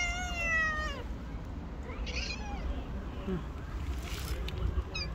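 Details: Street stray cat, hungry, one of a homeless black cat and his friend, giving a drawn-out falling meow, then softer broken calls over low traffic-like rumble.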